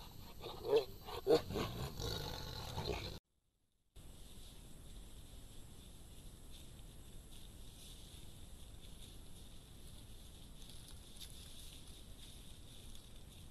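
A Sumatran tiger gives a few short, rough growling grunts, then only a quiet background hiss remains.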